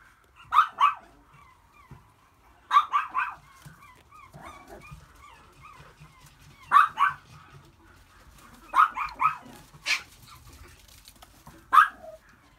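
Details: Male long-coat Chihuahua puppy, white and red, born April 13, 2018, yapping in short clusters of two or three high barks every couple of seconds, with thin whimpers and squeaks between bursts.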